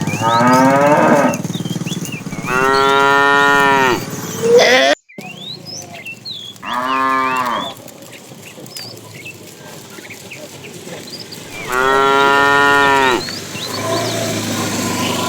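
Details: A fat cow in a tame herd being driven in the afternoon gives long, harmonic moos, calling to a female between quieter pauses.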